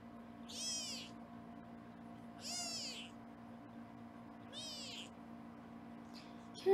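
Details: Foster kittens at a Los Angeles kitten cam being weighed: three high, wavering meows spaced about two seconds apart over a constant low hum, ending with a sudden louder sound.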